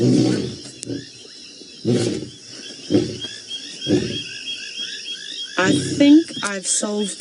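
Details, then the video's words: Closing grunts of a lion roar in the Maasai Mara, November 2017: four deep, fading huffs about a second apart, with faint chirping birds behind, then a person talking over the last grunts. "Lions roaring in the Maasai Mara"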